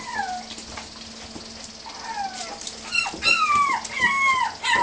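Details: Several puppies at play give high, falling whimpers, first sparse and drawn out, then quicker overlapping yelps in the last two seconds, over a faint steady hum.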